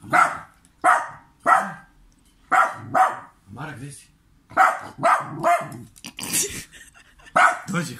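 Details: Rapid barking from a dog in Serbia ignored on purpose by its owner: around ten loud, harsh barks in quick succession, broken by a brief scuffling noise near the end.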